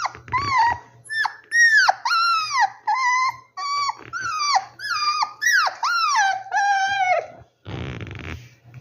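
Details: Rescued puppies in their hideout give a run of about nine high, whining whimpers, each sliding downward with rich harmonics, spaced roughly every second indoors, ending with a brief rustle.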